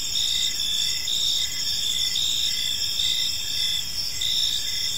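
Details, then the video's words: Several crickets in a park at evening, an unbroken high trilling chorus with gentle pulsing, soft low-frequency background noise throughout. "Park Serenade: Cricket Sounds in a Peaceful Park | Evening Ambience"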